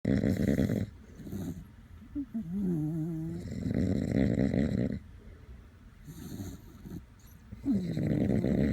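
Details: Sleeping Dachshund snoring alongside a person, loud rasping snores in long bursts separated by quiet gaps, with a few brief higher whimpering tones between snores.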